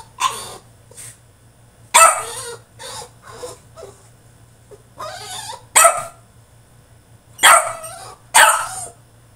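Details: A French Bulldog in his cage throws a tantrum. He gives a rapid, irregular run of sharp barks and shorter yips, with loud bursts roughly every one to two seconds.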